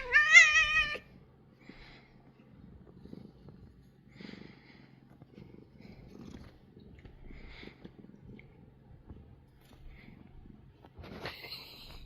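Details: Korean shorthair house cat being massaged, making a strange sound: a loud, drawn-out harmonic meow in the first second, then soft rustling and faint chirps, ending with a rising whine near the end.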